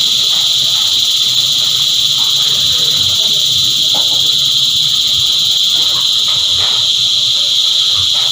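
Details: Cicada choir: a dense, unbroken high-pitched buzzing drone that holds steady throughout, with faint low rustles and murmurs underneath.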